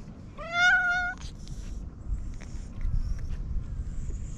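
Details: Domestic cat, a stray being petted that snorts with pleasure, gives one clear, slightly rising meow lasting under a second, followed by quiet scattered clicks and rustling over low outdoor rumble.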